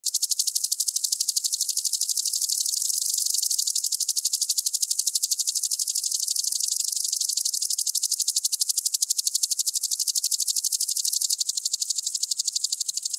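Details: Common green grasshopper singing in Tschenn, Italy, on 19 August 2019: a long, steady high buzzing stridulation of rapid regular ticking pulses, about three per second, sustained through the whole recording without pause.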